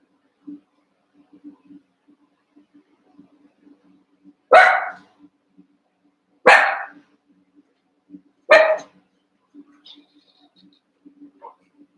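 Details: Eight Cavalier King Charles Spaniel puppies, around a month old, playing and wrestling in their pen: after a quiet stretch, three loud barks come evenly about two seconds apart, followed by a faint high squeak.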